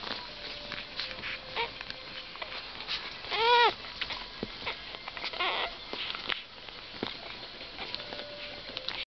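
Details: Entlebucher Mountain Dog, likely one of a litter of puppies born 22 August 2010, gives one short, high, wavering whine midway, amid scattered clicks, rustling and faint background noise.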